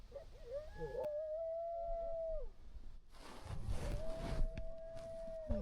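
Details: Coyotes circling a truck in the dark, a whole group that returned hours later: two long, level, drawn-out howls separated by a burst of noisy rustling, the first opening with short wavering notes.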